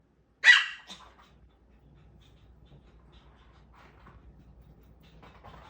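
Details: A puppy that has grown too big to squeeze under the sofa and is angry about it. One sharp, loud bark near the start, then a short fainter yelp, followed by near silence with quiet indoor rustling.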